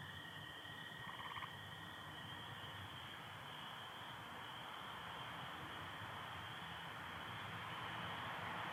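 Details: On a night with stars and some overcast in Michigan on 24 April 2025, a dense chorus of spring peepers gives high, piping peeps, with a lower steady trill of American toads beneath.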